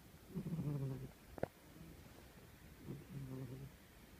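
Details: Sleeping old cat snoring: two low, rough, buzzy snores about two and a half seconds apart, with a sharp brief click between them, recorded indoors in quiet surroundings.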